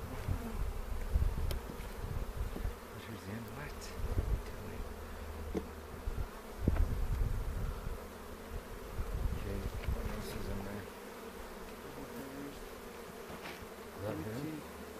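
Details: Buzzing of a honey bee colony opened for a spring inspection near Cochrane on April 27, 2018, while beekeepers look for queen cells. A soft, even drone persists under scattered handling thumps and rustles.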